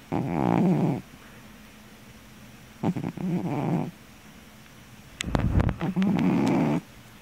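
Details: Napping house cat gives heavy, harsh snores, three rough droning breaths in quick succession with short quiet gaps and a few soft clicks in between.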